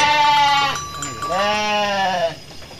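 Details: A Garut sheep gives two wavering, nasal bleats, the second rising then falling, in a rice-field area where a raging Garut ram sends dozens of sheep running.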